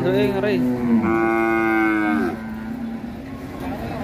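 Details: Agitated sacrificial cow unloading from a truck at Pasar Siyono Harjo, Indonesia, bellowing in a strong harmonic moo that starts low, jumps higher and holds for about a second before fading.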